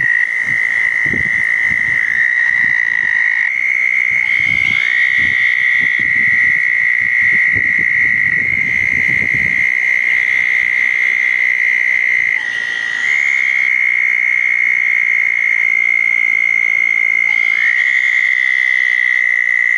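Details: Southern toads calling at small dug ponds after a thunderstorm, 10 June 2014, night: overlapping long musical trills, with new voices entering every few seconds at slightly different pitches, plus low thumping handling noise early on.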